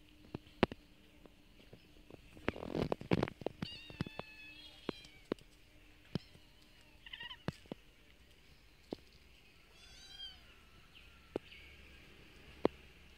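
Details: Street cats eating food given to them daily, with sharp irregular crunching clicks from chewing, a louder burst of rustling munching near the start, and a few faint high meow-like calls in between.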